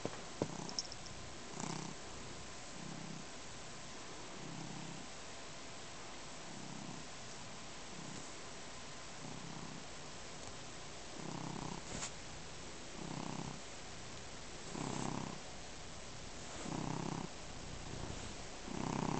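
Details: Domestic cat named Neo purring while kneading and drooling on a blanket indoors; soft, low rumbling purr in steady pulses about once a second, each breath a short throbbing burst, with faint clicks in a quiet room.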